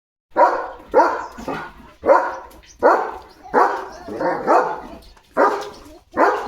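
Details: Leo, a German Shepherd, barking at other dogs outside the gate to chase them away; eight loud harsh barks in quick, uneven succession, some doubled, with short silences between.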